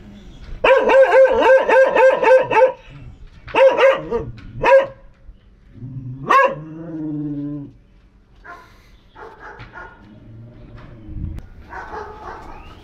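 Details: Short-legged female pet dog barking in a quick, regular run of about eight sharp, ringing barks, then a few spaced single barks and softer, lower yips trailing off into quiet.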